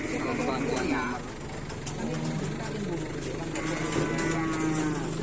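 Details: During karapan sapi bull-racing training on an Asemanis field, a low droning moo rises under steady crowd chatter and outdoor bustle, with a second harmonic call toward the end.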